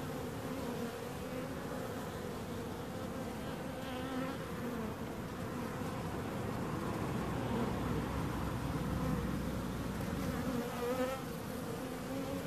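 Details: Many bees droning continuously, a thick low hum with wavering higher overtones that rise slightly in loudness toward the end.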